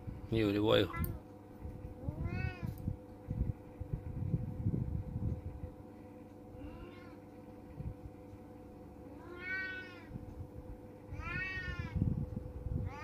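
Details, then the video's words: Orange domestic cat meowing repeatedly indoors, short arched meows about every one to two seconds in loose series, with people speaking, handling noises and a constant low hum in the room. "Kucing Oyen Funny Cute Cat"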